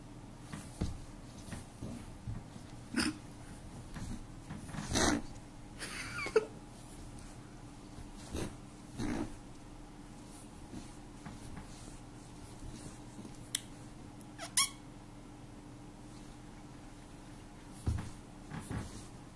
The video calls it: Rabbit making funny noises